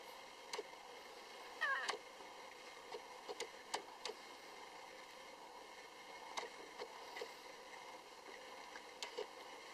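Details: Three-day-old Lhasa Apso puppies; one short, high, squeaky mewing whimper rises and falls early on, followed by scattered soft clicks and rustles in a quiet room.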